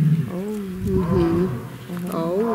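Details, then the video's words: At the Taigan lion park, tigers call to each other from all sides in a roll call, giving deep, drawn-out moaning roars that rise and fall. A human voice is briefly heard in the background. "Красиво. Тигры по соседству рычат."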